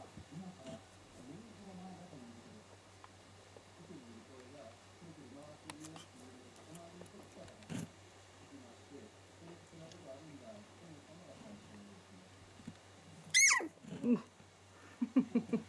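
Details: Young Shiba Inu puppy named 屈, newly able to see, hear and stand, whimpering indoors in a soft run of short, squeaky, wavering cries, faint and steady throughout, with a few sharp clicks and knocks near the end.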